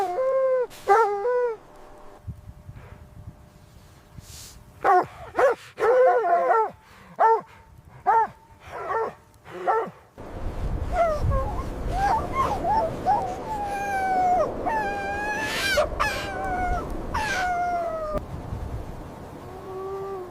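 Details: Mother dog and puppies play happily in fresh snow. Scattered yips give way to a rapid string of barks, then a busy stretch of overlapping whines, squeals and rustling, ending in a lower moan.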